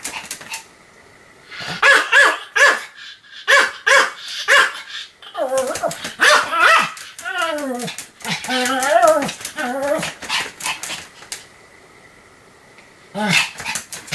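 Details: Continuous barking from Sam the Pomeranian, 7 October 2015: separate shrill yaps at first, then a dense run of wavering, squealing barks, a hum-filled lull, and a final short volley of yaps.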